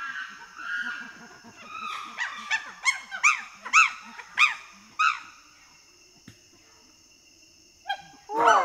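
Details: Chimpanzee pant hoot: soft low panting build-up rising into a series of loud, high, arching hoots and screams roughly every third of a second, then quiet before a final loud outburst; constant faint high-pitched hum behind.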